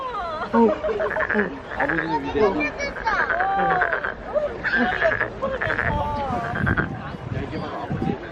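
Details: Frog crying at a lantern festival in Nowon, Korea: bursts of harsh pulsed croaks separated by short gaps, heavily overlaid by nearby human chatter and exclamations.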